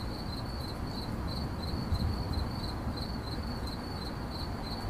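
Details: Cricket in 8D audio giving fast, rhythmic high-pitched chirps, roughly three to four per second, over heavy low rumbling background noise.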